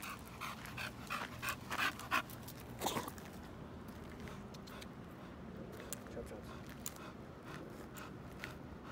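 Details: Panting American Bully on a stroll: quick rhythmic breathy bursts over the first two seconds, a brief human voice, then softer scattered breaths over a low hum.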